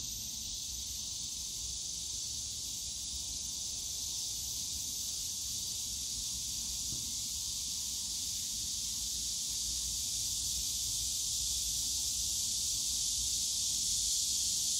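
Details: Summer cicada chorus in the bamboo forest at Yongsan Family Park, a continuous shrill buzzing wall of sound that swells slightly louder toward the end, with faint low city or park hum beneath.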